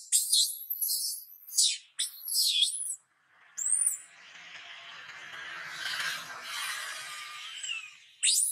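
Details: Wild baby macaque named Gabe near Angkor Wat, crying while its father embraces and comforts it: shrill, high squeals falling in pitch, several in the first three seconds, then a quieter rough stretch and one last sharp squeal.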